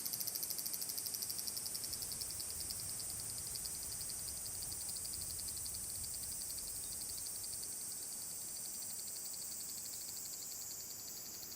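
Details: Large brown cicada singing on 30 July 2022 at Furuta Magarikawa, Nishinoomote, Tanegashima, Japan, in summer. A continuous high sizzling buzz, pulsed briefly at the start and then steady, with faint low rumbling beneath.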